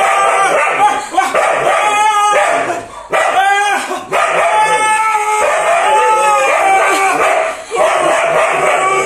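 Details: A frightened Siberian Husky called Matong rides a roller coaster strapped to a man's back, crying out in long quavering howls that rise and fall, broken by brief gaps, over continuous ride noise and human voices.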